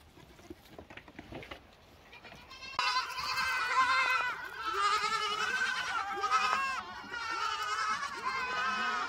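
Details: Several lambs bleating over one another in a continuous overlapping chorus of loud, wavering nasal cries, preceded by a few seconds of soft rustling and quieter sounds.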